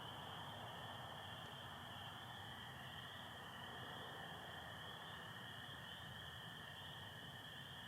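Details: Night chorus of spring peepers joined by American toads in Michigan, April 24, 2025, with stars showing through some overcast; loud continuous high-pitched peeping blends with a softer, steady lower trill.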